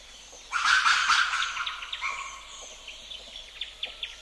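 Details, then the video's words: Ring-tailed lemur troop screams and calls: a harsh, noisy lemur scream bursts out for about a second, then thin, high bird chirps repeat every few tenths of a second; Madagascar coucals and Common Newtonia are also listed in the recording. "Ring Tailed Lemur / MC Screams And Calls From A Troop"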